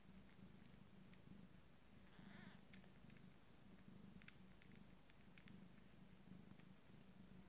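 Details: Abyssinian kittens of a first litter, five days old, at mealtime. A low rhythmic purr runs steadily throughout, broken by a brief faint squeak or rustle near the middle and scattered small clicks.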